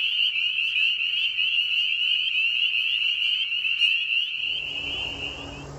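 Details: Early-spring chorus of spring peepers at a vernal pool beside a meadow, many high shrill peeps overlapping steadily, then cutting off near the end as a low rumbling noise takes over.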